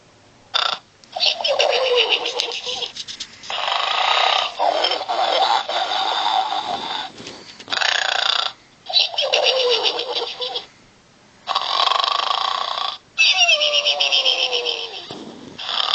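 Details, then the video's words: Sleeping pig snoring: harsh, rasping breaths come in noisy bursts of one to two seconds, separated by short silent gaps, some ending in a squeaky falling whine. "SNORING PIG."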